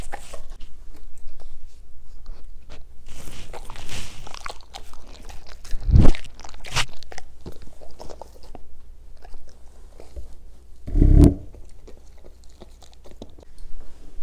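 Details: German Shepherds eating and reviewing green foods indoors in a small room: loud irregular crunching bites around six and eleven seconds, with softer chewing and mouth noises between.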